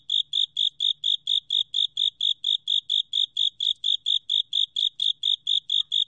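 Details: Steady chirping of a Japanese burrowing cricket, National Institute of Biological Resources, 2020: bright high pulses evenly spaced at close to four per second, tonal and unvarying, with near silence between them apart from a faint low hum.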